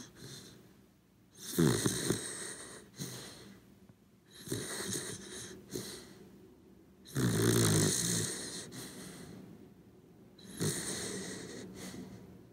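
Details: Sleeping Corgi dog, a pet named Cooper, snoring indoors: deep rasping inhalations with a throaty rattle, alternating with quieter breaths, about every three seconds.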